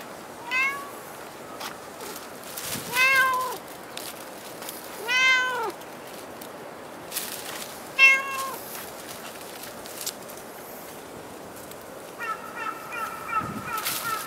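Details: Cat at Dockyard Garden on 28 August 2016, early morning around 06:10, giving four clear harmonic meows spaced a few seconds apart, each drawn-out and slightly falling; a steady tonal pulsing sound joins near the end.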